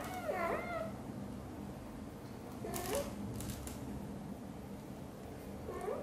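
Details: Blue golden British Shorthair mother Xaxa chatters at her tiny kitten Piano as she grooms it; three rising-then-falling meows, one near the start, one mid-way and one at the end, with faint clicks and soft indoor background noise.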